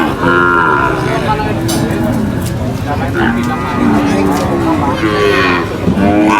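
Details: Cows coming off a truck at a market give drawn-out, overlapping moos, some wavering and falling in pitch, with people talking nearby and steady market bustle underneath.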